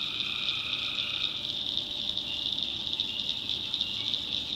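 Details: Night chorus of tree frogs in North Carolina backwoods swamp: a continuous shrill, pulsing trill that stays high and even, with a lower trilled band dropping out after about a second.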